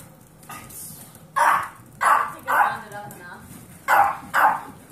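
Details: Short, sharp barks from a foster household with Kirby, an 8-year-old Pomeranian, and 8-week-old Golden Retriever mix puppies: five bright yaps in two clusters, the first three about half a second apart, over a quiet room.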